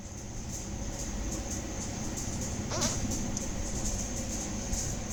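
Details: Cricket calling at night gives a thin, high chirp pulsed in a fast, steady series, over a broad low rumble of background noise.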